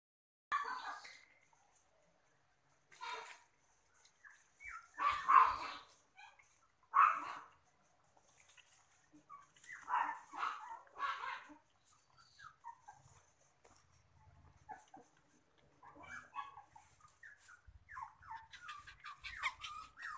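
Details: Two-month-old mini Poodle puppy at a dog breeding farm, giving short whimpering yelps in separate bursts, some louder and drawn out, with gaps of quiet between and faint rustling in the background.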